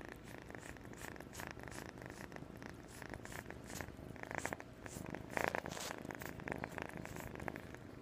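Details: A kitten of 8.5 weeks purrs in a low pulsing rumble, interrupted by louder rustling and handling noises around the middle before the purr carries on.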